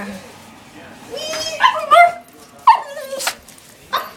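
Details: A pet dog, female, whining and yipping because she wants her bone back; several short rising whimpers with harmonic overtones, a sharp yip near the middle, indoors with a person's voice briefly audible.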